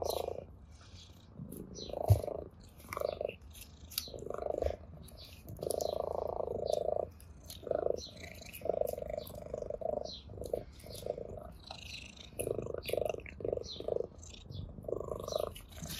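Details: Purring ginger cat enjoying a blade of grass, an orange tabby at play: rhythmic pulsed purr in many short bursts, some brief, some over a second long, alternating with quieter breaths, with scattered ticking rustles throughout.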